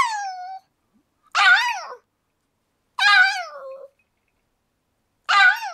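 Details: Pug aged 15 years 7 months, indoors, pleading to be let outside while it rains, recorded 28 April 2013; four loud, rising-then-falling nasal whines roughly every one and a half seconds in a quiet room.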